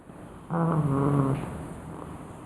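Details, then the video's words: Sleeping pug Ninna gives one loud, low, buzzing snore lasting about a second, steady in pitch, followed by soft breathing. "Ninna pug roncando alto!"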